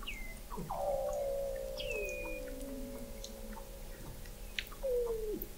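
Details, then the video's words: Weddell seal beneath Antarctic sea ice in McMurdo Sound, captured November 2017 by the McMurdo Oceanographic Observatory: a held steady tone gliding down into a lower drawn-out whine, short high downward chirps, and a closing falling note. "Song of the Antarctic Weddell Seal"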